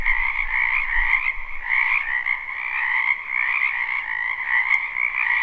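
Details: Frogs calling en masse in a spring wetland, captured live. A dense, pulsing trill holds two bright pitch bands with gentle rises and dips. Brief low thumps come near the start, and a couple of faint clicks follow.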